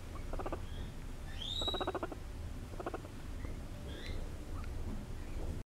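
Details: Two seven-week-old guinea pig sisters purr in short, rapid, vibrating bursts, with a few faint high excited squeals between, while being petted.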